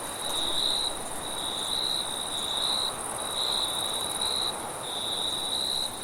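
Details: A high, ringing cricket trill runs steadily at night, pulsing a little louder roughly once a second, over a gentle, breathy wind in the lower sounds.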